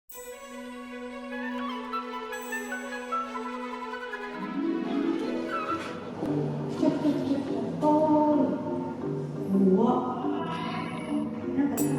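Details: Orchestral music opens on a long held low tone, then builds into fuller melodic passages with voices and bright chimes.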